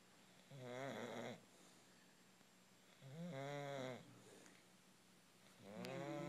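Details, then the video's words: Snoring English bulldog, three rasping, buzzy snores with stacked harmonics, each lasting about a second and recurring roughly every two and a half seconds, quiet room between breaths. "English bulldog snoring"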